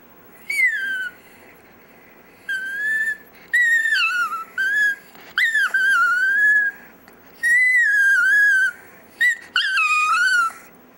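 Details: Chihuahua Dexter "sings" indoors in a long series of tonal howls, some swooping down then rising, others wavering, about seven phrases over eleven seconds with short breaths between.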